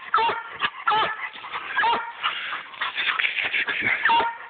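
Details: A female Black and Tan Coonhound, a hard tree dog, gives a rapid run of hoarse, ringing treeing barks.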